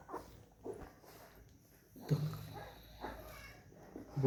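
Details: Labrador Retriever Bella indoors, with puppies asleep nearby, gives short low whimpers and grumbling sounds in uneven bursts roughly every second, with faint speech in the background.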